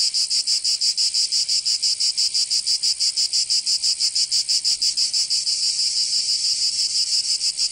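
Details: Provençal summer cicadas in southern France give a piercing, sizzling high drone beating in rapid regular throbs, about three per second, continuous and uniform.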